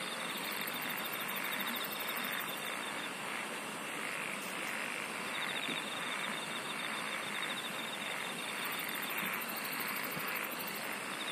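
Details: Insects singing in a dense natural chorus: steady pulsed trills near the top of the range and a fainter band lower down, over a continuous broad hiss that resembles distant rumble or traffic.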